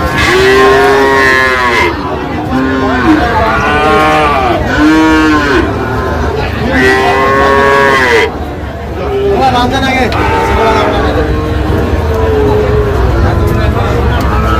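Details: Sahiwal breed bull calves bought by a farmer from Chuadanga, Bangladesh: a run of repeated moos, each a short arched bellow about a second long, with steady background music throughout.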